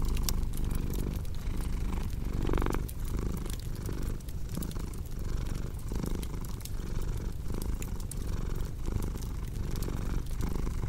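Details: A cat purrs deeply beside a cozy crackling fireplace. The continuous low vibrating drone pulses in breath cycles, with a brief louder swell near the third second and scattered soft wood crackles on top.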